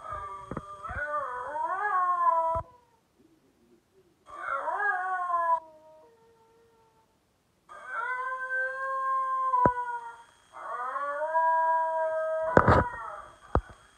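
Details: A male basenji howls for his owner on 24 February 2020 in long, wavering, yodel-like cries broken by short pauses.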